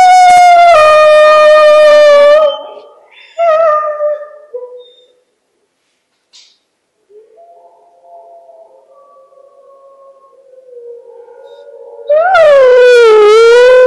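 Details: Hound dog howling at wolves: a loud, drawn-out, slightly wavering howl that sinks at the end and trails off. Faint, thin tonal howls follow in a quieter stretch, then another strong, quavering howl breaks in.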